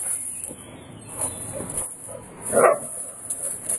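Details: Jewel, a Eurasier dog, out visiting people and meeting a Labrador; one short, sharp bark rises from quieter background noise near the end, over a constant high-pitched hiss throughout.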